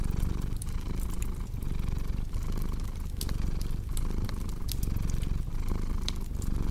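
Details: Continuous low cat purr blended with frequent sharp crackling pops from a fireplace.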